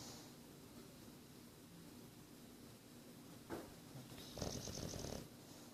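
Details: Boris, a nine-month-old English Bulldog, snoring: low, rough breathing rumbles run throughout, with louder broadband snorts near 3.5 seconds and from 4.4 to 5.3 seconds.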